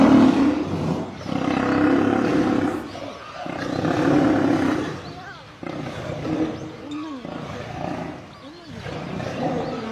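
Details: Lionesses attacking and killing a male lion. Deep, drawn-out snarling growls rise and fall in long surges, with harsh rasping bursts and brief gaps between them.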